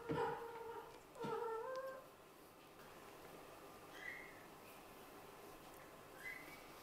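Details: Kittens born to a Scottish Fold mother and British Shorthair father, sleepy but playing: two clear, bright meows about a second apart, followed by two faint, higher rising chirps later on, with light rustling in a quiet room.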